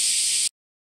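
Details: A Kaempfer cicada gives a steady, high, hissing drone that stops abruptly after half a second, recorded around 09:24–09:39 on 14 July 2022; Kaempfer cicada.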